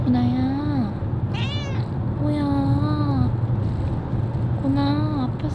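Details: A five-month-old female kitten in heat, at a vet clinic before her spay, meows three times: sustained, slightly wavering tones with rich harmonics, bending downward at the end. A brief higher squeak falls between the first two meows, over a steady low room hum.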